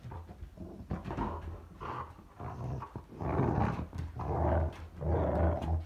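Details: Lucy, a red nose American Pit Bull Terrier acting crazy indoors, gives low rumbling growl-grumbles in about five drawn-out bursts, each roughly a second apart, with brief sharp knocks between them.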